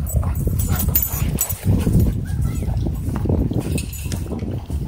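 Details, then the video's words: Doberman and Belgian Malinois in a dogfight at a dog park, broken up with an e-collar correction; steady low, rough growling and snarling fills the moment, dense and unbroken, with scuffling and faint human sounds above. "Doberman vs Belgian Malinois Dogfight E-Collar Correction At Dog park"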